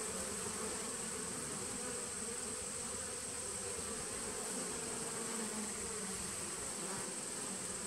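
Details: Humming mass of bees in a 2017 nuc on 19 September 2018: a smooth, continuous buzz with stacked drone tones and a steady high whine, level and unchanging throughout.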